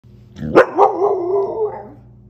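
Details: Pet Samoyed giving a short sharp yelp, then a drawn-out, wavering, moaning howl-like voice lasting over a second, with low background hum.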